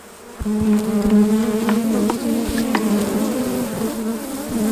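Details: Honey bees around hives during a honey harvest, a steady low droning buzz starting after a short quiet moment and holding throughout, with a clear overtone and occasional sharp clicks and taps from hive handling.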